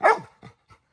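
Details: Little John, a pet Labrador Retriever, asking his grandma for permission to swim in the pool: one loud, sharp bark followed by three much softer, short muffled barks.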